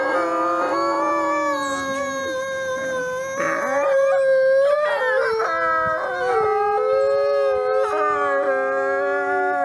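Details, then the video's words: Nikai, a captive-born gray wolf and ambassador wolf at the Wolf Conservation Center in South Salem, New York, howling on Christmas Eve; long sustained harmonic howls with pitch breaks and overlapping voices shifting up and down. "Wolf Howls"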